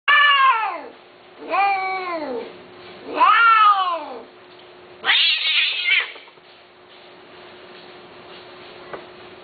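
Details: Persian Himalayan cat, listed with male and female cats for mating, gives three long, drawn-out meows that rise and fall in pitch, then a harsher, rougher wail around five seconds; a steady low hum runs underneath.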